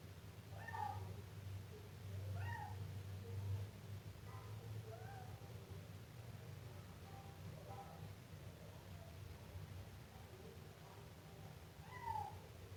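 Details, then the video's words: Siamese kitten calling repeatedly: a run of brief, bright meows at first, then quieter, drawn-out mews, ending with one loud clear meow. Constant low-pitched hum throughout. "Efeito sonoro de gato miando filhote siamês"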